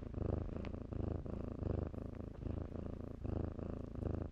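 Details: Kittens playing in blankets at a shelter; a close, deep rumbling purr pulsing in quick breath cycles about twice a second, with faint rustling of fabric.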